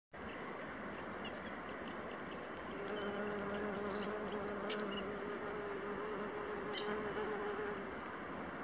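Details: Buff-tailed bumblebee workers (Bombus terrestris) foraging on Echium sabulicola flowers near the Assut de Sueca, Spain, give a steady, low droning hum over a constant rushing background.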